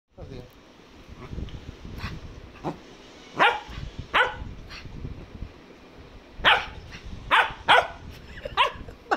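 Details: Young Cocker Spaniel barking while playing: short sharp barks in irregular bursts, a cluster near the start and a faster run of several barks toward the end, with faint voices and low rumbling in between.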